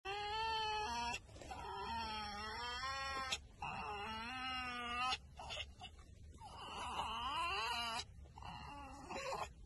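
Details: A fox enjoying being petted gives drawn-out, wavering whines and yowls in bouts of one to two seconds, some rising and falling, with short pauses between.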